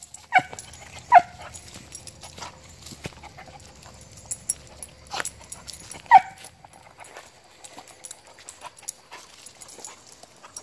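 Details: Beagle; bay; giving voice while hunting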